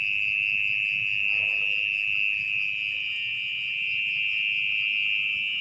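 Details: At night a mole cricket trills underground in a muddy spot, hidden in its burrow during digging; the piercing, sustained buzz-trill never pauses, over faint scraping noise.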